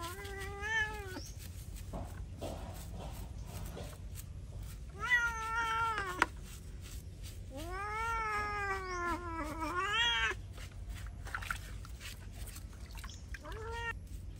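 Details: Bathing a feral cat draws a series of loud, drawn-out wailing meows, four main cries, some arched and wavering, others long and sustained, with short gaps between and a brief final cry; low hum throughout.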